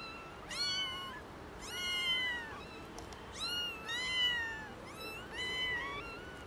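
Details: Three young kittens found in someone's garden meow loudly, calling in drawn-out, rich, harmonic cries that rise then slowly fall, five in a row at roughly one-second intervals, some overlapping as different kittens call.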